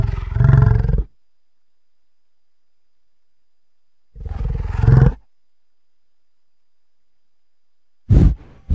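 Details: Bison giving deep, rumbling roar-like bellows, each about one second long, two full calls separated by silence and a third cut off at the end; no other sounds.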